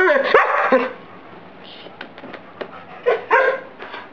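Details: Collie dog showing off its vocal antics: a burst of harmonic, howl-like yowls and barks in the first second, then quieter clicks and two short yelping vocalizations near the end, indoors.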